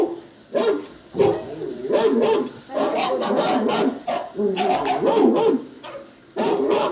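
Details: A poodle puppy yowls and cries in long, wavering, whiny tones that rise and fall almost without pause, broken by a few brief gaps.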